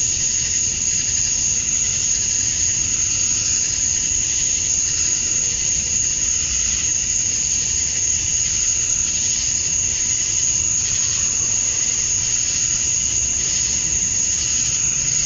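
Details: Summer dusk in Georgia, USA, with male cicadas calling to draw females: a continuous shrill insect hum, a piercing steady tone above a hissing buzz, unchanging in loudness throughout.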